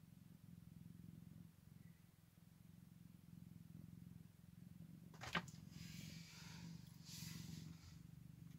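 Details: Soft deep purr of a Scottish Fold cat beside newborn kittens on their first day, steady throughout; a sharp knock past the midpoint, then brief rustling and handling noise over the purring.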